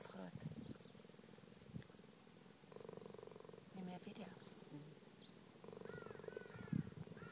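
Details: Pregnant cheetah purring: steady, low, pulsing rumble in three bouts of one to two seconds each, separated by short pauses, with soft human voices in the background.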